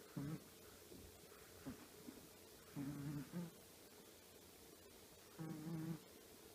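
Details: Small, comfortable snores from Choppi, a 10-year-old female Chihuahua fast asleep: short low rumbling breaths with a faint whistle, a few seconds apart, in a quiet room.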